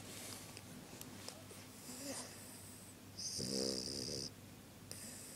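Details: Two pet dogs, Rintaro and Pooky, resting, perhaps asleep: soft breathy snores, then one louder, throaty, buzzing snore lasting about a second midway, with faint hiss in the room.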